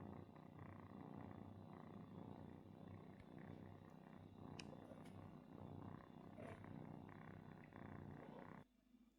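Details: Domestic cat family: a kitten seeking milk and attention from the daddy cat, its mother mistaken for him; continuous deep throbbing purr, rough and even, cutting off abruptly just before the end.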